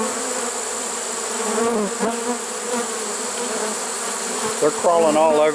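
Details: A late-season honey bee swarm, 1 September 2019, caught in a swarm trap, hums in a steady low buzz; a human voice breaks in briefly near the end.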